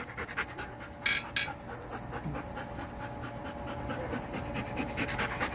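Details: Poodle, visited along with puppies, panting in quick, breathy, rhythmic bursts over a steady low room hum, with one louder huffing burst about a second in.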